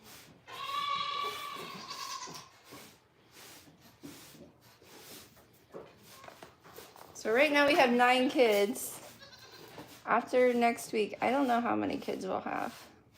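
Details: At The Willful Goat Farm & Home, one long steady high cry opens, followed by quieter background noise, then two loud bursts of shaky, wavering goat bleats with several animals calling together.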